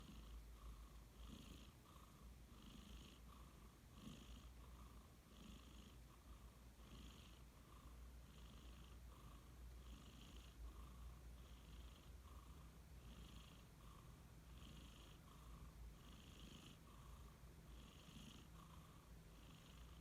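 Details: A sleeping cat snores softly. Short, even breaths with a faint wheezy tone repeat about every three-quarters of a second, steady for twenty seconds, over a low background hum in a quiet room.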